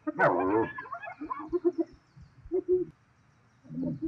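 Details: In South Luangwa National Park, Zambia, a spotted hyena fighting lions for food lets out a loud harsh squeal, then bursts of quick cackling giggles separated by short pauses.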